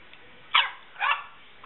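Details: Boxer puppy Karma playing with her new pitbull playmate Angel: two short, sharp yappy barks about half a second apart, fairly high and bright, with quiet background between them.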